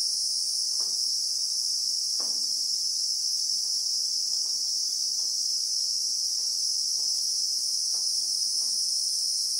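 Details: Real-time sound of a Christmas beetle (Anoplognathus) in South African bushveld: a sustained, high-pitched electric-like drone fills the whole stretch, with occasional soft clicks underneath.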